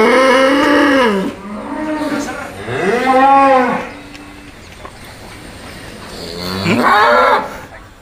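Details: A raging bull, described as extreme and training to challenge a rival, bellows in long harmonic moos that rise then fall, three calls across the stretch with music and chatter in the background.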